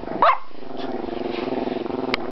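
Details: Pet dog gives one short sharp bark, then a sustained throaty, pulsing grumble that wavers steadily for about two seconds, ending with a brief click.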